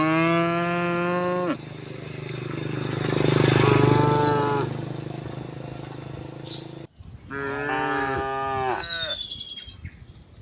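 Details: Tame cows herded home to the pen through a quiet village in the afternoon, mooing together; long harmonic moos, one lasting over a second, then a loud rushing noise and another moo, with thin bird whistles overhead.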